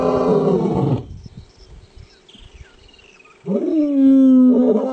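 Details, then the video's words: Roar of a male lion: a loud, harmonic bellow that cuts off, a quiet gap, then a second strong, sustained roar holding a steady low pitch. "Powerful Roar of male lions"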